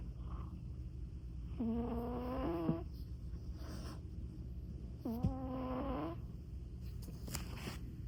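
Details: Persian cat snoring: two drawn-out, buzzy, tonal snores of about a second each, roughly three seconds apart, with a few sharp clicks near the end over a low background hum.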